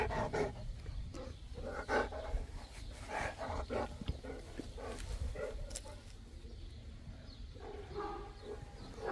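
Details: Boerboel (African Mastiff) from the couple Enzo and Diva in Egypt giving irregular throaty grumbles and short moaning sounds, mixed with breathing and low background noise.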